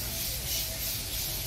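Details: Male cicadas in a Japanese garden in Caldas Novas in September, their September–November breeding season, singing a steady, high hissing drone to attract females.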